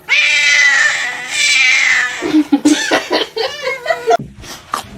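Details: Domestic cat yowling: a long, high, strained wail held steady for about two seconds, a second drawn-out wail, then choppy throaty grumbles and short broken cries, with a brief human sound near the end.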